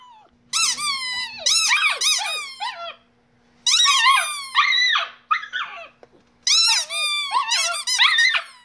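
A Shiba Inu 'sings' in high, wavering yowls that rise and fall in bursts of a few seconds.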